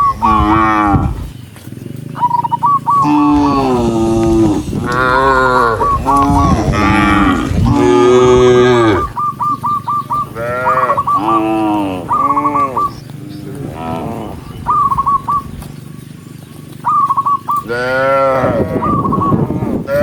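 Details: Herd of cows walking toward the barn, a dense chorus of overlapping moos, low and wavering, one after another almost without pause, with short strings of high chirps between and a steady low rumble beneath.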